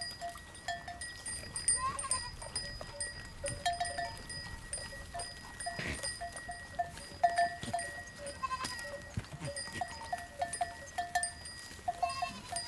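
Goats bleat in short, wavering cries over a steady ringing of bells.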